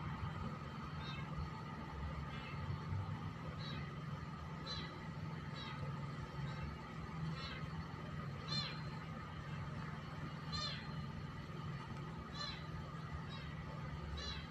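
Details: Cat meowing over and over, a dozen or so short, bright mews that rise and fall, spaced roughly one to two seconds apart, above a steady low mechanical hum.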